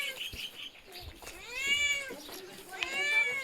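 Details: Little kitten with soft, tiny meows partly masked by background rustling and faint voices; two thin, arching meows rise and fall in pitch.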